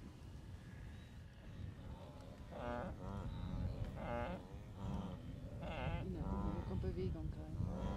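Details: Blue wildebeest herds during the Great Migration at the Moru Kopjes, western Serengeti, 7 April 2012: nasal, harmonic grunts burst out roughly every second or so over a low rumbling background.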